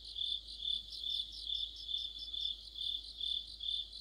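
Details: Crickets in an autumn insect chorus under a streetlamp, high ringing chirps rising and falling rhythmically, about two pulses per second, several voices blending.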